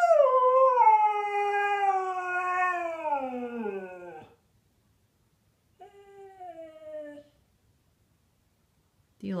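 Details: Siberian Husky named Zeus vocalizing on his new bed, indoors because of rain: a long descending wail for about four seconds, fading into a low groan, then a short second moan after a pause, with a woman's voice nearby.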